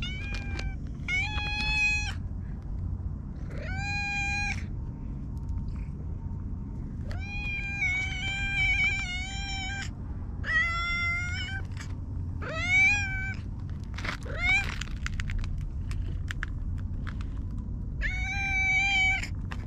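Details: Stray cat called Hige Danshaku, known for its mustache-like nose markings, in a park, meowing repeatedly: about eight clear, harmonic, slightly wavering meows, each around a second long, spaced irregularly over a steady low background hum.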